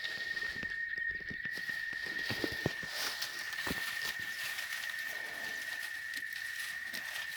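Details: Oaxaca chicharras keep up a thin, steady, high-pitched whine behind loud rustling, footsteps and broadband outdoor noise that partly cover the cicada drone.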